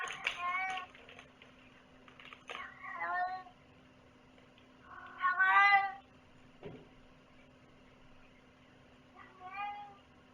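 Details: Domestic cat meowing in four separate bursts, each a harmonic, arching cry, two short and two drawn out, with quiet gaps between and a steady low electrical hum running underneath.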